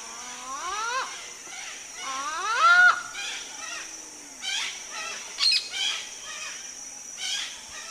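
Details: Smooth-coated otters fishing at the Karnali River in Nepal's Bardia National Park give rising, whining squeals followed by a run of shorter chirping calls, with a constant shrill insect hum behind.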